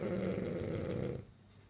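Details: A French bulldog, asleep and dreaming, gives one low, rattling snore that stops abruptly, leaving near silence.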